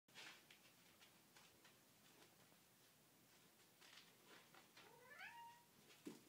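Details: Foster kittens playing indoors with a new toy; a faint, short mew rises and bends, with soft rustling and tapping of play throughout.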